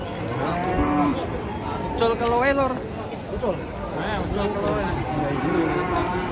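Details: Agitated, raging cattle lowing: several overlapping harmonic moos, some rising and falling in pitch, over a noisy outdoor background with human voices talking.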